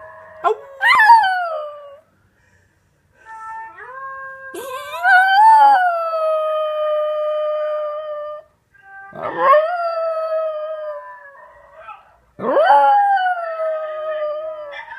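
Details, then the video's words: Miniature Pinscher mix dog howling along with a Basenji yodel recording: four separate howls, each starting with a sharp upward yip and then settling into a long, steady, slightly falling wail, with short silent gaps between them. "MinPin mix howling in response to best Basenji yodel singing"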